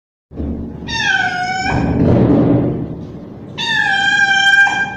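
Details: Young male street cat calling loudly, said to be calling a female in heat: two long, drawn-out meows with rich overtones, about three seconds apart, separated by a burst of broad rustling noise.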